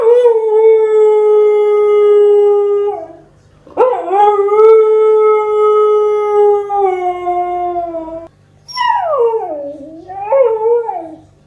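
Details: Siberian Husky puppy giving a series of long, steady tonal howls, each held for several seconds with brief breaks between, ending in a wavering, sliding yodel-like howl that dips and rises in pitch.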